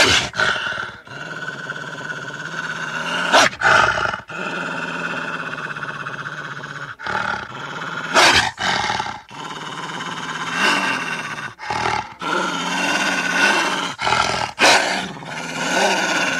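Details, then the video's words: Wolf growling and snarling: harsh, rasping, noisy bursts with a rough low buzz, repeated in irregular fits broken by brief gaps and sharp louder snaps. "Animal sounds / WOLF"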